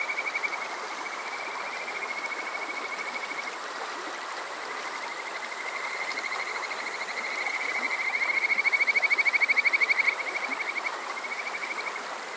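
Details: Kajika frog calling on a summer night at Water Park Shirayama, Yokoze, Chichibu District, Saitama, recorded on a TASCAM DR-05X: long high, rapidly pulsed trills in overlapping bouts, swelling loudest near the end, over a steady streamside hiss.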